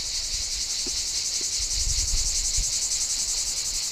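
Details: A loud chorus of summer cicadas in the pines along the seaside path at Saint-Mandrier-sur-Mer: a continuous shrill rasp throbbing in quick regular pulses, with scattered low thumps of walking underneath.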